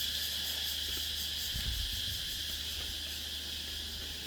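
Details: Dusk on Nang Yuan Island, insects calling in a constant high shrill drone with a pulsing shimmer on top; brief low rumbles midway.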